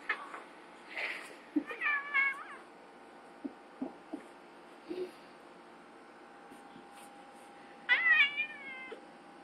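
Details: Domestic cat in a cat fight between two cats: two bursts of bending, wavering meows, one early and one near the end, separated by soft thumps and scuffles, with a person speaking briefly.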